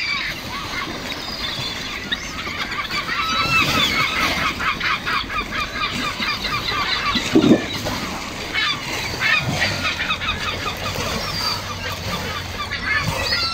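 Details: Sea lions on the beach at Coquimbo, Chile, a crowd calling together: a dense, continuous chorus of hoarse, honking barks overlapping in fast repeated pulses, with a low thump and some faint voices in the background.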